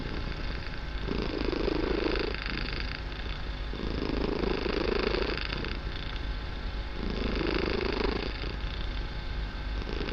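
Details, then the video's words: Barsik the kitten purring very loudly indoors during what is described as a healing relaxation session: a deep continuous rumble rising into three louder breathy swells, each lasting about a second and a half, in steady rhythm. "Мурлыканье котенка.Барсик очень громко мурлыкает"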